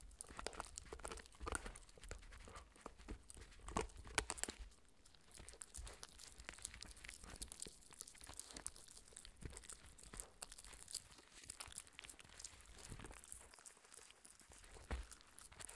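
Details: A 4-month-old Shetland sheepdog puppy gnaws a raw beef bone in a quiet room, with soft, irregular crunches and crackles.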